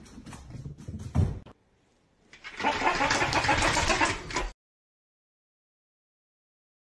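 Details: Thumps and rustling, a short silence, then a burst of broad hissing noise like a sliding door or engine, with no animal voice.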